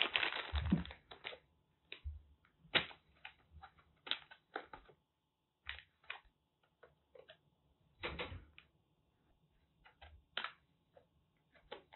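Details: Irregular clattering, crackling and knocking handling noises with short pauses, and no animal voice heard.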